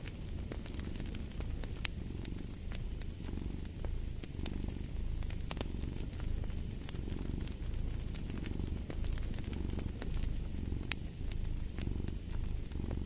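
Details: Domestic cat purring steadily beside a fireplace, a low continuous rumble swelling and easing with each breath about every second and a half, while sharp wood crackles and pops from the fire scatter throughout.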